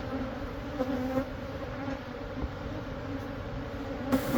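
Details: Honey bees from a months-old hive in a church building wall in Monrovia, removed for a beekeeper; low steady hum with harmonic layers, ending in a louder burst of noise.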